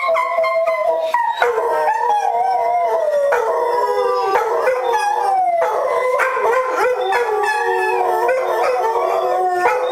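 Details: Several German Shorthaired Pointers howl together at a TV commercial jingle, led by a female who dislikes it. Overlapping wavering, drawn-out howls slide up and down, forming a dense chorus with no pauses.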